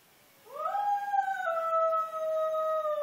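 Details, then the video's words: Gamble the dog howls: the pitch sweeps quickly upward, holds a sustained tone, then steps slightly lower and carries on evenly, still sounding as the clip ends. The background is quiet. "Gamble howling"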